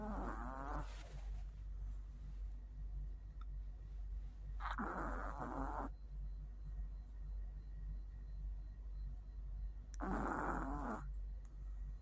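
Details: Mio, a tired Chihuahua, snoring: three loud rasping bursts come about every five seconds, each a short harsh breath, with a steady low hum and quiet gaps between them.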